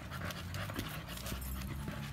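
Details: Samson, an American Bully, pants during a gym workout: quick rhythmic breathy bursts, several per second, over a steady low machine-like hum.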